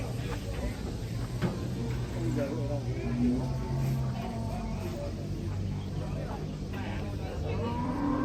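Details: Agitated cattle coming down off a truck, a herd described as raging: low, drawn-out droning moos blend into one another over a steady rumble, with faint voices and background music.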